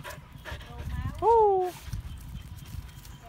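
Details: Siberian Husky giving one short, clear whining howl, rising quickly then sliding slowly down over about half a second, with faint human speech and shuffling before and after.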